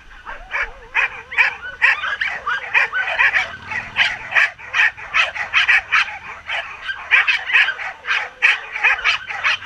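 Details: Two teams of Samoyed sled dogs, each with one young female in training, at the end of a 12 km training run in September 2014, yipping, whining and barking excitedly in a rapid, overlapping chorus of high calls with wavering howl-like tones.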